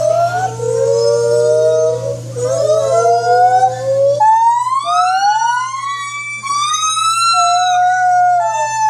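White-handed gibbons give loud, siren-like hoots that swoop up and down in long, clear wails.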